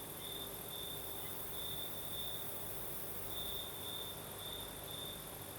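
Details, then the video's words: Several crickets on a breezy southern Crimean night: a high continuous trill broken into brighter pulsing phrases, with a steady high insect hiss and faint low rumble of wind underneath. "Звук ночи. Юг. Крым. Сверчки поют. Ночной бриз."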